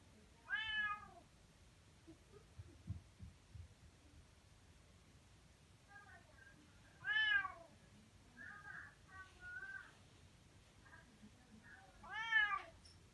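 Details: Indoor Bengal cat seeking attention, usually wanting food, with loud meows: three strong, harmonically rich calls spaced about six seconds apart, with softer chirpy meows between them and faint background noise.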